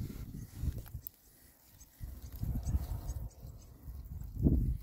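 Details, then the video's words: Rare-breed Oxford Sandy and Black pigs, six males, on a winter forage between storms: deep, short grunts in clusters, a brief lull in the middle, then a louder run of snorting grunts at the end. "rare breed Oxford Sandy and Black, happy pigs, winter forage. 6 boys. ASMR oinks."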